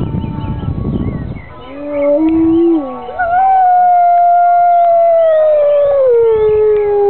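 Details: Grey wolves at a UK wolf conservation centre howl in long, smooth, overlapping tones in response to church bells on a Sunday morning, after a burst of low rumbling noise.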